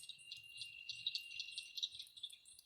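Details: Cricket frog giving a clicking call likened to marbles clicked together: quick, high clicks in an uneven series over a steady high hum, fairly faint.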